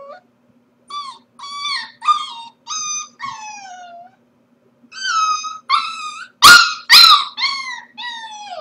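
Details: Corgi puppy alone at home while its owners are out at work, crying in a run of short, arched, harmonic whines and howls with a brief silence, then louder yelping cries with two sharp bursts near the end.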